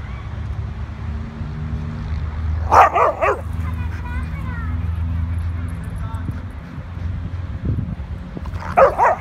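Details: A male Malamute playing with a female Golden Retriever: a cluster of three quick barks early on and two more near the end, over a low rumble with a faint whine between.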